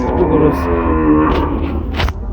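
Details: Cattle at Gabtoli livestock market, one of two large cows said to weigh over 900 kg, brought for Qurbani Eid 2024; a low, drawn-out harmonic moo lasting about a second, with people talking nearby and a thump near the end.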